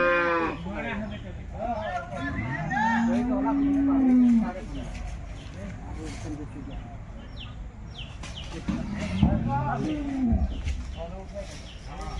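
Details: Jersey cattle at a wholesale market, with one steady low moo lasting about two seconds, then a shorter call later, mixed with people talking and general market noise.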